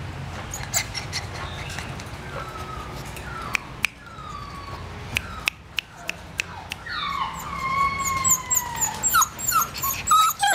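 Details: Purebred Dalmatian dog whines with long, high, gliding whimpers that fall in pitch, growing busier and louder toward the end, mixed with sharp clicks and taps in the background.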